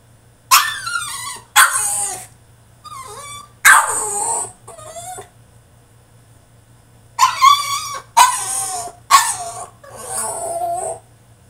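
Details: Caged male French Bulldog in a tantrum, giving loud yips and harsh barks with a few falling whines, in two clusters separated by a couple of seconds of quiet, over a faint steady hum.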